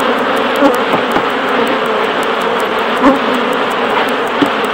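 A dense, steady hum of many honey bees droning together at a hive.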